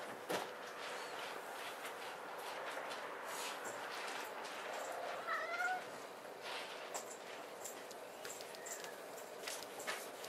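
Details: Maine Coon kitten named March gives a short meow with a brief rising-then-falling tone near the middle, amid soft indoor rustling and faint clicks.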